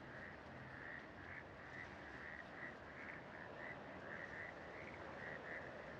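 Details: Frogs calling in Bogotá, Colombia, during breeding season from early in the day to attract a mate: a steady chorus of many short, mid-pitched notes overlapping continuously, with a soft, even background hiss.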